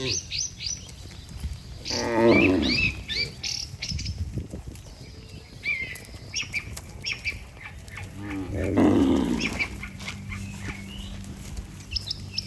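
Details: A herd of cattle led by a herder walks back to its barn. Two deep, harmonic moos, each about a second long and roughly seven seconds apart, rise above twittering birds.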